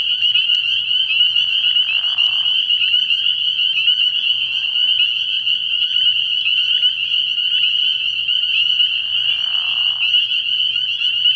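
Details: Early-year night chorus of many spring peepers at a frog pond, loud, shrill peeps merging into a steady ringing band, broken by short, lower, rough frog calls.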